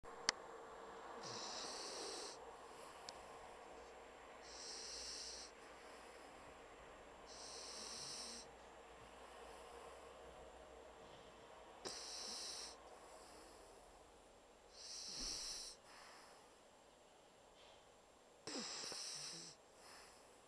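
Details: Pocket Bulldog Bumble, fast asleep and snoring like a big dog: soft, hissing, breathy snores recurring roughly every three seconds, with quiet pauses between them.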